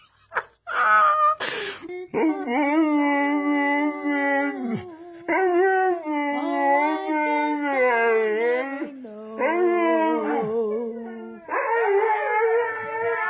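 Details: A husky puppy at a kennel in Mumbai gives long, wavering howls, each drawn out for a few seconds.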